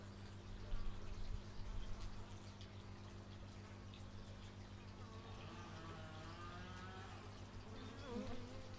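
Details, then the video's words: Bees humming outdoors, recorded on an x/y stereo microphone; a low steady buzz with louder passes early on and wavering pitch glides toward the end as insects fly past. "Bee movie but its just bees, and not the movie"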